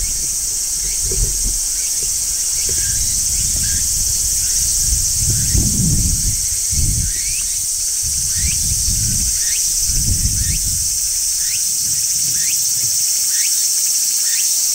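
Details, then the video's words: On a tree in midsummer, a large brown cicada keeps up an even, piercing sizzle, while short rising chirps recur roughly every second above low, intermittent rustling sounds. "Cicadas Singing in Midsummer | Large Brown Cicada"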